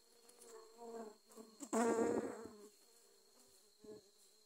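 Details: Dwarf honey bees attacking during grass cutting in Thailand; a steady low hum of wingbeats with layered overtones, broken by one loud rough burst of close buzzing lasting about a second.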